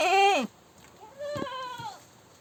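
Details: A goat gives a loud, strained scream under half a second long, then after a brief pause a quieter, drawn-out bleat that arches up and down.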